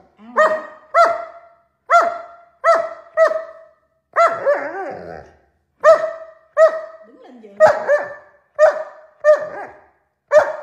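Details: Alaskan Malamute barking in a quick series of short, clear, ringing barks, about fourteen over ten seconds, often in pairs with brief silent gaps between, one longer wavering yelp in the middle.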